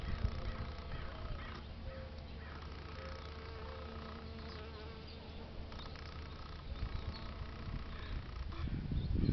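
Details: European honey bees visiting flowers on a beautiful day in San Diego, California, USA; a low, steady droning hum with faint tonal bands, swelling louder near the end as a bee passes close.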